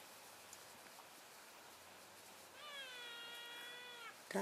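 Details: Elk keeping contact within a herd as it moves between grazing areas, February 3, 2012. After a quiet stretch, one long, steady, nasal call sounds for about a second and a half and droops slightly at the end. A sharp click follows.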